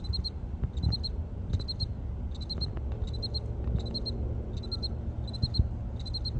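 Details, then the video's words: Male cricket calling loudly from a crack in a building outdoors: short bursts of three or four rapid high pulses repeated about every 0.7 seconds, steady and regular, over low background rumble. "Cricket Chirping!!"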